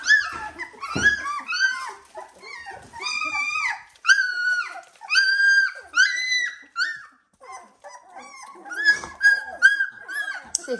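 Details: Dalmatian puppies, 17 days old, kept indoors with a tunnel to amuse them, giving bursts of high, arching whines and yelps in quick clusters, several pups crying over each other, with brief pauses between bouts.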